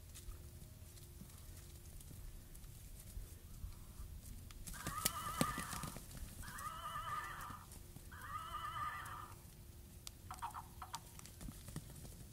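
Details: Miniature horse running and playing with a one-year-old baby; after a quiet start, three wavering, tonal whinnies of about a second each follow in quick succession, with faint thuds and rustling between them.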